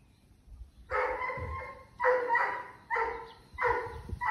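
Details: Doberman named Reira, a female pet born 2010, during her illness with lung cancer in October 2020; four drawn-out harmonic whining vocalizations, each about half a second to a second long, with short pauses between them.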